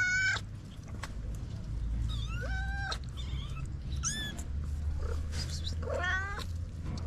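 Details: Stray kitten meows from a group of four little kittens with their white mother cat: repeated high, rising-then-falling cries with bright harmonics, several in quick succession over steady low street rumble.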